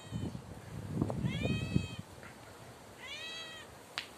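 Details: A tabby cat, one of the stray pets living on the street, meows loudly on the stairs. It gives two drawn-out, clear meows, the second shorter. Thumping steps come before them and a sharp click follows.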